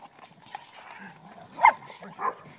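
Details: Big dogs in a big yard on the morning of 25 December 2014, 7:30 am, playing; two short sharp barks, the louder near the middle and another half a second later, over faint background murmur and quiet human voices.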